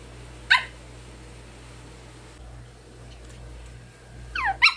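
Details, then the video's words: Pomeranian barking indoors, angry at a hanger holding a face mask: one sharp, high bark near the start, a long quiet pause with steady low hum, then a quick double bark at the end. "Barking Dog Pomeranian Got Mad At A Hanger Because of Facemask"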